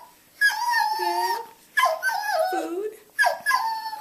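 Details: Beagle giving a cultivated, subtle 'yodel-woe': three drawn-out, wavering, tonal wails, each swooping down and back up in pitch, separated by brief quiet pauses indoors.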